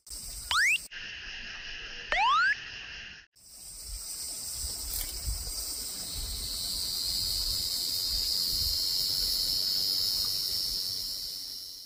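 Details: Large brown cicada song, opening with a few short rising whistle-like effects, then a long, steady, high sizzling drone that gradually swells and brightens, with faint low background rumble.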